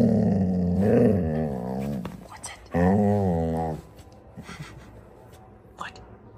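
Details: Female pet dog named Phoebe, indoors, making two long, harmonic, grumbling growl-howls: the first wavers for about two seconds, the second is a shorter, steadier moan, followed by quieter scraps of sound.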